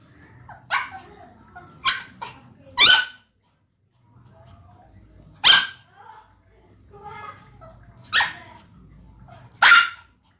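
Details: Barking dog: loud, harsh yelps with a ringing tone, some close together, others two to three seconds apart, over a quiet low rumble in the background.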